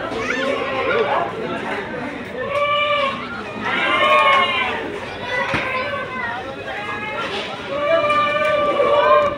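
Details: Goats at the Sagorika goat market on Saturday the 3rd, 2024: repeated nasal, wavering bleats from several animals, each about a second long, heard over steady crowd chatter and men talking.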